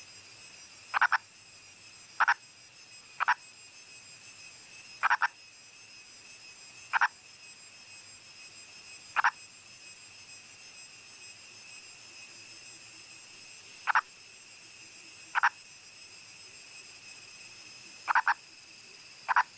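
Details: A wild male Indian purple frog (Nasikabatrachus sahyadrensis), calling from above ground in India's Western Ghats, gives short, clucking croaks at uneven intervals over a steady insect hum.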